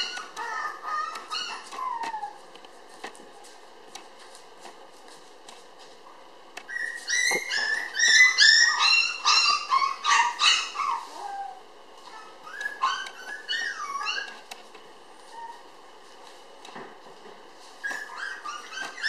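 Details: Indoor recording of a red female Toy Poodle puppy, 700 g, born 20 May and filmed 30 June; scattered thin whines, then a loud burst of squeaky yelping cries around the middle, followed by quieter falling whimpers with pauses.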